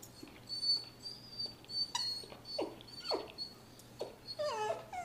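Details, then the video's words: Sarah the Miniature Poodle whimpers as she kills her toy, Mr. Fox: a thin, high, sustained whine runs steadily through, broken by short downward-sweeping yelps and a final cluster of rising, tremulous cries. "Sarah Miniature Poodle cries while killing Mr. Fox."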